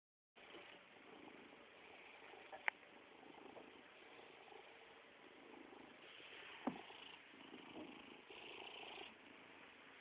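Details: Stoagy, a fat pet cat, begging for attention with a soft, steady purr that swells and fades in breathy waves, with two faint clicks along the way.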